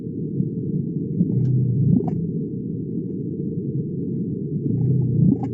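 Gray whale calls, low rumbling pulses that sound rather like a deep purr.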